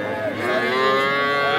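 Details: Cattle at the Aftabganj cattle market in Nawabganj, Dinajpur, on 5 September, where young bulls and heifer calves are sold: a sustained, harmonic-rich moo holds steady for over a second amid the market's background murmur.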